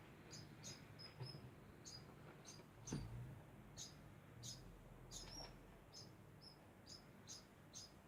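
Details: Degu calling without pause, a string of high, brief chirps spaced unevenly about every half second, with a faint dull thump partway through.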